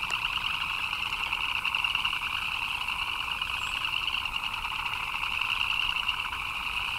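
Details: Frogs chirping in the rain: a dense, unbroken chorus of fast-pulsed, rattling trills that sits in two steady pitch bands, one middle and one high, holding an even loudness across the whole stretch.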